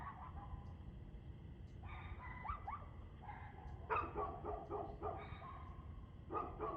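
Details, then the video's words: Dog barking on 2/6/2024, 6:02 pm: a looser series of barks, some drawn out and blurred together, loudest near the middle, with a persistent low-frequency background rumble. "Barking Dog"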